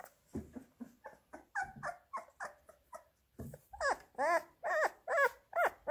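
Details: Labrador Retriever puppies fed minced beef: steady pulsing whimpers, about two or three each second, softer at first, then louder, wavering high whines with a tremulous, rising-falling tone.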